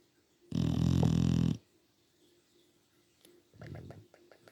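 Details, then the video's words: Sleeping English Bulldog snoring indoors: one loud, rasping, low-pitched snore lasting about a second, then quiet, then a softer rattling breath near the end. "Teddy The Bulldog Snoring"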